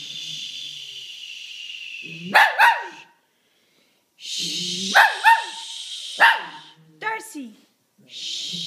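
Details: Shih Tzu answering sneezes with sharp paired barks repeated several times, each a bright upswept yelp, over hissing breathy noise and a person's voice.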